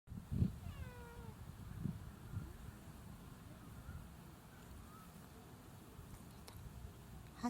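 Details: Hachi, a free-roaming community cat, answering when called by name with a short, falling meow early on, then a fainter second meow near five seconds, over a steady low rumble of background noise.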